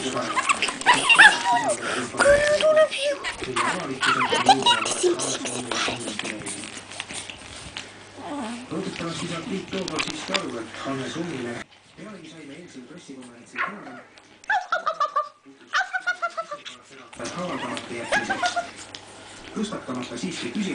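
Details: Pekingese puppies having fun give high, falling yelps and whimpers while people talk nearby.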